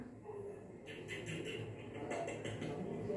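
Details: Indoor room sound with a man speaking over background music or television, plus soft shuffling; no animal voice stands out.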